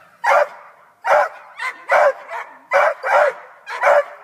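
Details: Black and Tan Coonhound that has climbed a tree after a cat: five loud, hoarse barks spaced just under a second apart, each a short burst with a strong clear middle.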